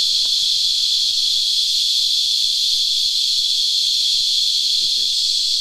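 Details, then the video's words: Sap-feeding cicadas, known locally as Christmas beetles, with droplets falling from others above, keep up a continuous piercing whine that never breaks; faint low tapping and a murmur of background noise sit underneath. "Singing Cicadas"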